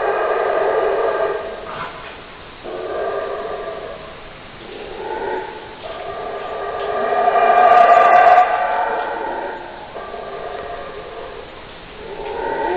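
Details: Howler monkey roaring in long, swelling, harsh bouts that rise and fall in loudness, peaking near the middle and returning in waves every few seconds, over a steady hiss.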